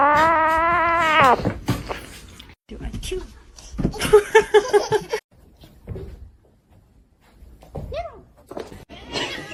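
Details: A cat indoors gives one long, loud, drawn-out meow that slowly rises in pitch, followed by people talking, exclaiming and laughing over background music.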